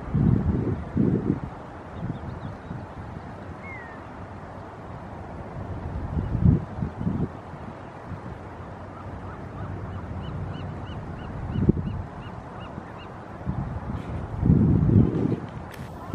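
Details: Harbor seals at Moss Landing State Beach, California, on 17 February 2020 give deep, rough grunting bursts a few seconds apart over steady surf and wind.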